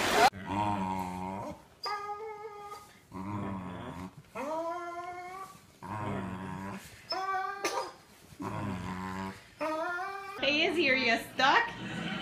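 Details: A pet Pembroke corgi makes drawn-out, harmonic whining and growl-like vocal calls in a small room, each lasting about a second with short pauses, some rising in pitch, and ends with a harsher, noisier burst.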